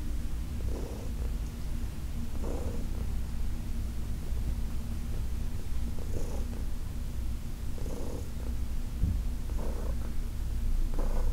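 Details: Senior cat Heidi, adopted in 2019 from the Humane Society of New York City, purring during a massage: a continuous deep rumble with soft breathy swells recurring about every one and a half to two seconds.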